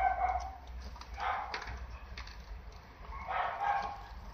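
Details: Young female Toy Poodle, apricot, 58 days old, at a breeder in Osaka, Japan: two bursts of soft high yipping whines about two seconds apart over a steady low hum.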